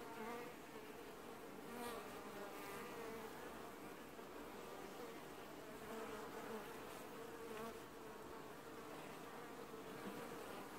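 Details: Apiary colony of honey bees wash-boarding on the hive in early July; a constant rich humming swarm sound, several sustained droning pitches, with brief sharper buzzes of individual bees darting past.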